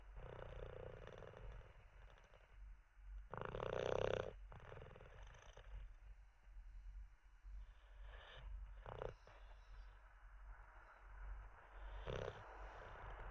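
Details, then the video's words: Teddy, a sleeping Olde English Bulldogge resting after treats, breathes with a low continuous rumble broken by a few harsher snorting snores at irregular intervals. "Six minutes of a snoring olde English bulldog"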